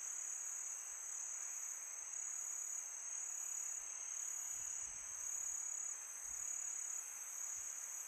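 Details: Summer night chorus of crickets: unbroken shrill high-pitched trilling, even and sustained, over a faint breezy hiss.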